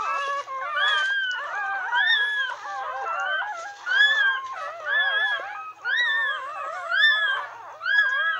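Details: Chorus of a newborn retriever litter of nine, pups minutes to an hour old beside their mother, giving rising-and-falling whimpering squeals that repeat roughly once a second, several voices overlapping in a steady, pulsing pattern.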